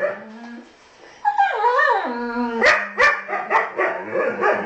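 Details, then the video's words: Pair of huskies having a chat: a low steady tone, then a long swooping, warbling call that climbs and dips, followed by a run of short yips and barks. "Huskies Talking"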